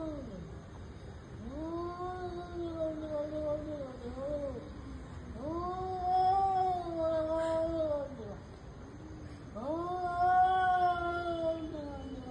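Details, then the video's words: Fighting cats in an intense confrontation: three long, harmonically rich yowls, each swelling and wavering for two to three seconds with brief pauses between, the wails growing louder toward the end. "Cats and their personal intense fight"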